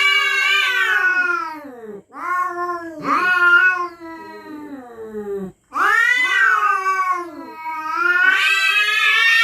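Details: Cats threatening each other at night on their territory: loud, strained wails that swell, bend upward and sag, broken by short pauses, with a quieter moaning stretch in the middle.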